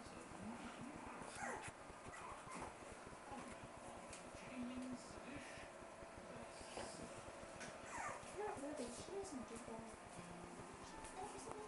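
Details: Three-week-old Boston Terrier puppies playing give short squeaky whimpers and yips amid scuffling, with a person talking.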